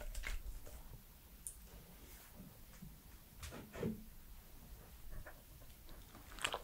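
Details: A 3-year-old male Pembroke Welsh Corgi chews and mouths food in a quiet room, with soft wet clicks and smacks; the foods given were banana, strawberry, watermelon and his dog food.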